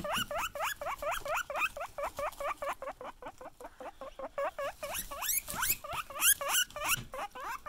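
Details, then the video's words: Guinea pigs wheeking excitedly on seeing their owner: rapid series of high squealing whistles, each sweeping upward, repeated about four times a second, with a brief quieter patch midway before louder wheeks resume. "Guinea Pigs Wheek Excitedly When They See You"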